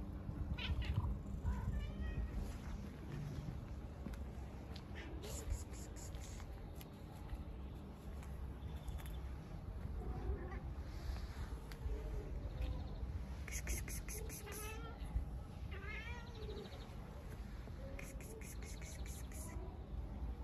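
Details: Street cats living outside, one bothering two pregnant cats; several meows rise and fall across the clip over steady low rumbling background noise, with chirpy bursts and a person speaking softly.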